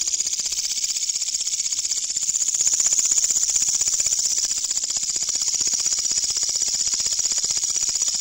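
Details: Night-time katydid sound, very loud: a sustained shrill buzz of quick even pulses, near three per second, swelling slightly in the middle before holding steady.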